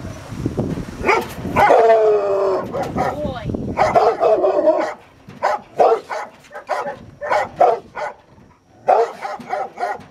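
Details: A Rottweiler barking during protection training, its first time biting a sleeve: loud, harsh barks in quick uneven bursts, with a drawn-out whine-like cry early on and gaps between volleys.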